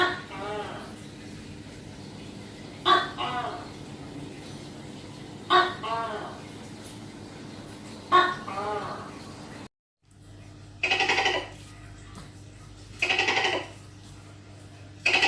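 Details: A tokay gecko (Gekko gecko) gives loud, throaty barking calls spaced a few seconds apart over a low hum; its typical call.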